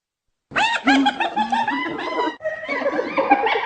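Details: Hyena laughing: rapid, jerky giggling notes of about three per second, with rich harmonics bending up and down. A short break comes partway through before the chattering cackle resumes.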